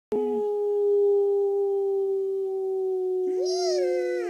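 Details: Eight-month-old German Shorthaired Pointer howling along with its owner indoors: a long, steady human-like tone held throughout, joined near the end by a higher wavering howl that rises then falls.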